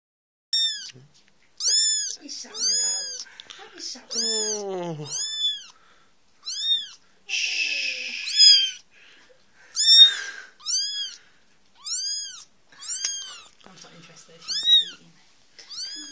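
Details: Fourteen-day-old female kitten squeaking when picked up indoors: a string of high, thin, arched squeaks repeated roughly every second, with a couple of longer wavering cries and brief rustling.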